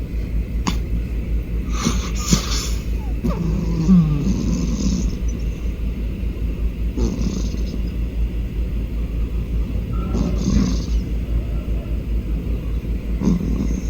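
A domestic cat purrs in a steady, deep rumble with soft snoring breaths mixed in.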